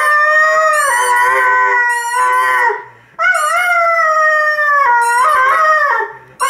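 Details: Irish Red and White Setter, a male, singing with his squeak football: sustained, wavering howls in two long phrases, broken by repeated high, rapid toy squeaks and a short gap for breath.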